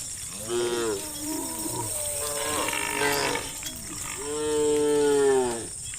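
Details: Hundreds of cows being herded along a road in sunlight give long, drawn-out moos that overlap, some rising and then falling away.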